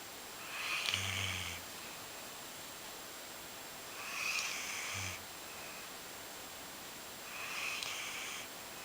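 A Golden Retriever snores in slow, breathy rasps, one roughly every three and a half seconds.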